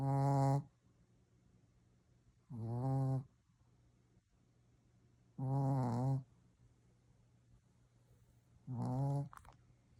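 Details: A Shih Tzu (Canis familiaris) snores loudly, each low, rattling breath lasting under a second and repeating about every three seconds.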